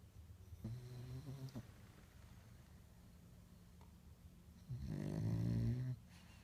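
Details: French Bulldog snoring indoors: two low, rumbling snores about four seconds apart, the second louder and rougher with a buzzy nasal rattle, separated by quiet breathing.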